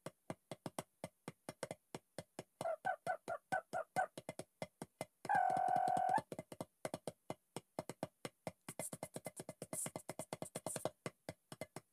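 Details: Sparse electronic music with quick, dry percussive clicks, a short run of synthesizer chords and one sustained synth tone near the middle.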